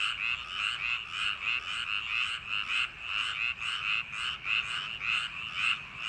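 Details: Summer-night frog chorus from rice paddies. Countless frogs croak at once in rapid, rough pulses that rise and fall without a break, forming an unbroken rattling wall of sound.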